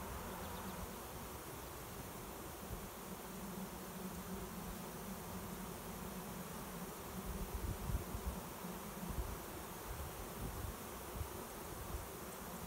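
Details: Honey bee swarm, a cloud of bees flying overhead before landing in a swarm trap by a garage to take a new home; continuous thick droning buzz, even in loudness, with faint rustling underneath.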